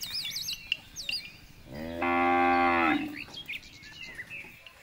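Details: A jumbo bull gives a single drawn-out moo of about a second and a half, rich and even, framed by whistled bird calls and chirps before and after.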